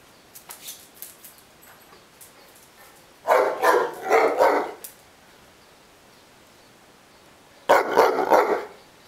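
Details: Complaining and eager to play, the Neapolitan Mastiff Ovelix gives a double bark, then after a pause another short pair of deep, harsh barks; soft clicking before the first bark.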